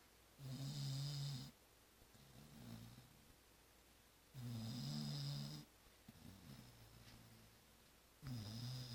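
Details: Zoé the dog snores in deep sleep after returning from Christmas Eve and Christmas brunch festivities: loud low rasping snores roughly every four seconds, each about a second long, with quieter breaths between, indoors.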